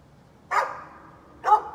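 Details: A neighbour's dog left barking for a long time on a Friday morning: two abrupt, loud barks about one second apart, each with a short trailing tail, in an otherwise quiet setting.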